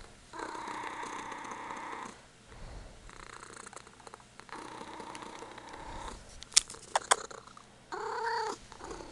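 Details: Punkin, a Ragdoll kitten, purring indoors while her owner pets her and gives shoulder massages; steady low rumbling purr in long stretches broken by short pauses, with soft scratching and rustling noises near the end.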